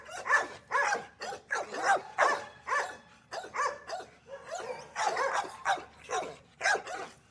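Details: Several small dogs in an outdoor kennel barking continuously, overlapping sharp high barks and yips repeated in quick bursts, with faint whimpering between them.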